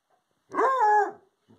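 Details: Redbone Coonhound howling at a visiting porcupine: a single loud, sustained harmonic howl lasting about three quarters of a second, steady then slightly falling, followed by a faint short sound.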